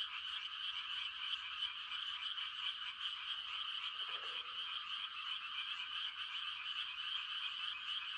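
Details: A quiet rural night during rice-planting season, filled with a continuous shimmering chorus of calling frogs giving mating calls, high and unbroken, with one brief lower croak midway.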